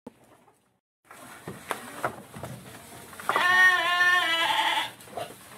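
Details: Goat fed silage in the rainy season while the herd eats eagerly; after soft rustling and chewing, one long, loud, trembling bleat with a wavering pitch, then quieter handling noise.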